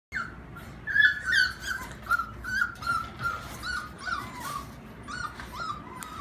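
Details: Female American Bulldog puppy making a steady stream of high, thin whining squeaks, wavering up and down and repeating rapidly over a low rumbling background.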